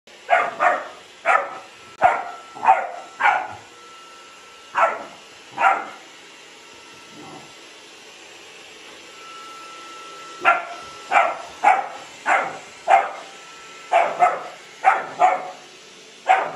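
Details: Delilah, a Hovawart dog, barking at a Dyson vacuum cleaner: repeated sharp barks in bursts of three to six, with pauses between groups, over a steady faint machine hum.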